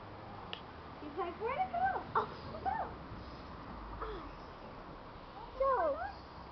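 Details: Keeshond puppies giving thin, high whimpers that slide up and down, clustered in a burst of short squeaky whines early on and another pair near the end, over a steady low hiss.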